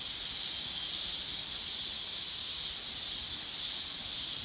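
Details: Continuous shrill buzz of many cicadas on a mountainside, a steady hissing drone that neither rises nor falls over the short stretch.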